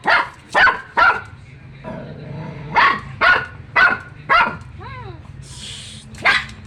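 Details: Dog barking in quick bursts, several sharp barks in a row with short gaps, a whining, wavering note in the middle and a burst of hiss before a final bark.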